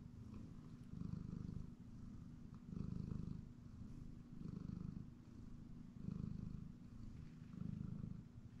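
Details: Napping house cat on a comfortable chair, purring steadily: deep low rumble rising and falling in long even swells roughly every one and a half seconds, no other clear sounds.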